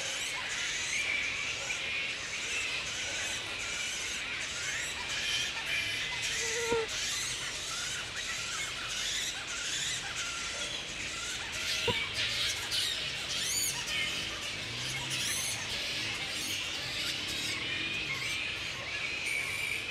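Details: Wild grey-headed flying foxes roosting at Woodford, Australia, in mid-April at the peak of the breeding season, with mating pairs present: continuous shrill squealing and chattering from many animals, dense high-pitched squabbling throughout.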